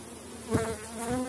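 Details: Honey bees from a strong colony in a Polish apiary near season's end, heard during a hive inspection: a short, close buzzing hum with a brief louder swell as a bee passes.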